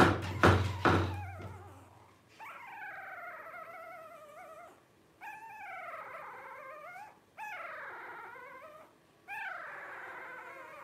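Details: Twelve-day-old blenheim Cavalier King Charles Spaniel puppies from a litter of five born on New Year's 2023: a few dull knocks open, then four long wavering whines, each about two seconds, rising and falling with rich overtones, separated by short pauses.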